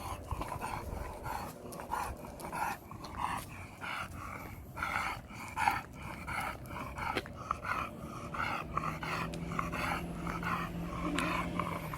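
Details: Sulking after the trip home from Gageodo, pet dog Kan utters uneven series of short nasal grumbles, roughly one every second or less, over low background rumble with a faint sustained tone late on.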